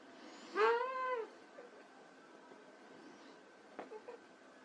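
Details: White Persian kittens playing: one clear drawn-out meow, rising then falling in a smooth arch, followed by soft clicks and a couple of tiny chirps.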